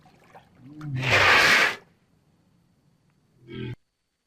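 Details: Walrus making a single raspy, breathy roar followed after a pause by a short low grunt.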